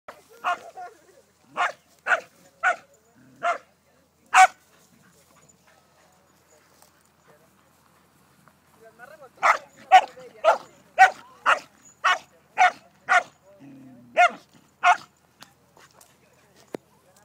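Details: Border Collie herding cows on a ranch near the El Tule dam in Arandas, Jalisco, Mexico; sharp barks in two bursts, five then about ten in quick succession, with a brief low sound between.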